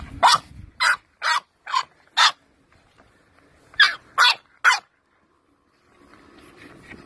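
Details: Pet English Bulldog giving short, sharp barks, five in quick succession, then a pause and three more, each a brief, harsh burst, followed by faint room noise.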